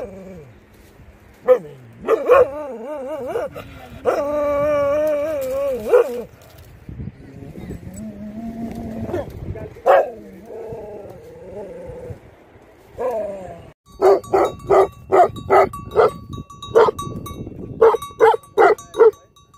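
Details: Livestock guardian dogs barking: early drawn-out, wavering howl-like barks, then a later burst of rapid, regular short barks, with a steady high whine or tone in the background.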